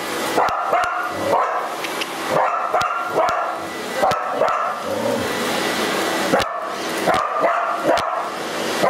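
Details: Border Collie reacting to a running vacuum cleaner, wanting to approach yet avoid it; a loose series of short, sharp barks, some in quick pairs, over constant machine noise.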